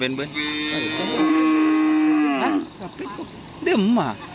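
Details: Madura cattle at bull-racing (karapan sapi) practice at the Asemanis field in Pamekasan: a long, steady, harmonic moo held about two seconds, then a shorter wavering moo, with faint background voices.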